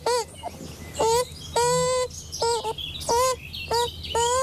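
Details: Hungry young Eurasian beaver crying and begging in its lodge in the morning after the female was out all night, on a Loire island upstream of Blois; nasal, baby-like wails with rich harmonics, repeated roughly every half second, some ending with a rising tone.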